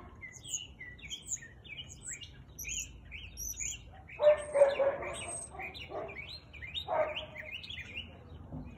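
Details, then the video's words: A Siberian Husky barks on a March afternoon in 2021. A run of rapid bird chirps fills the first half, then four broad, rough barks follow at uneven intervals, with birds still calling. "Husky barking"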